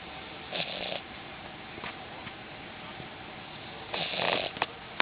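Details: A French Bulldog, passed out in a taxi after a long day roaming NYC, snores in rough, breathy bursts a few seconds apart.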